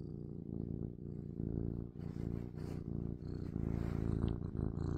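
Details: A domestic cat purring steadily in a low, rumbling, pulsing drone throughout, with soft breathy sniffing noises rising over the purr from the middle onward.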